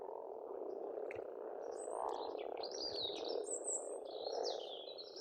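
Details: Frog chorus at a pond in Estonia in spring, a dense continuous low rattling croak filling the scene, with birdsong of whistled, sliding phrases above it.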